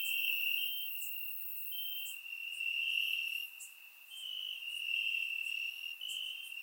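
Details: Crickets chirping in grass on a warm summer night in Bulgaria, captured with a surround microphone; a steady high trill swells and fades in bursts of a second or two, with fainter higher chirps overlapping.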